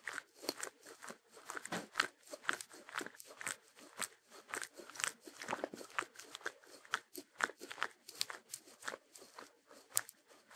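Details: Shetland Sheepdog, or Sheltie, chewing food for a music-free ASMR loop; brisk, crisp crunches about two per second, steady and close, with faint clicks between bites.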